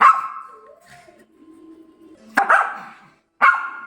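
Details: Domestic dog barking: a long harmonic bark at the start, then a quiet gap with soft low murmurs, followed by two sharp, loud single barks about a second apart.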